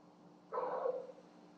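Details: Cat meowing at night while bringing home gifts, a nightly ritual of Cleo and Annie, picked up indoors by a home security camera: one loud, drawn-out, muffled yowl lasting about half a second over a steady low electrical hum.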